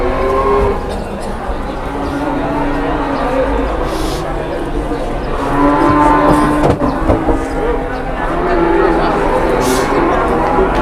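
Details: Cattle unloaded from a truck in Indonesia, one slipping on the way down, lowing in drawn-out low moos, loudest in the middle, amid men talking, a sharp knock and outdoor vehicle noise.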